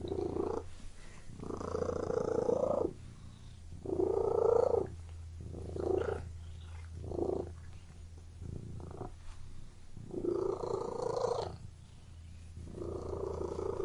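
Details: Purring cat in a room, rhythmic rumbling purrs pulsing in repeated swells about every one to two seconds, some louder and longer, others short, over a faint steady low background hum.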